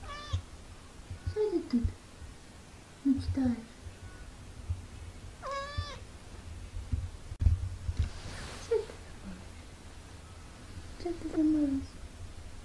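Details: Two tiny British Shorthair kittens, 17 days after birth, meowing while learning to walk indoors: thin, high rising-and-falling mews repeated every second or two, with a person speaking German softly and handling noises.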